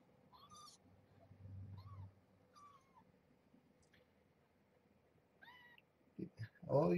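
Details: Growing kittens with their mother Marge, a rescued former stray, indoors during a morning feed; several short high mews, each rising then falling, come in small bunches before a person's voice and handling noises close the moment.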